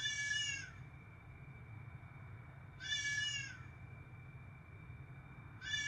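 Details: Repeated meowing from a house cat: three bleating calls about two and a half seconds apart, each rising then falling, over a faint constant hum and a high whine.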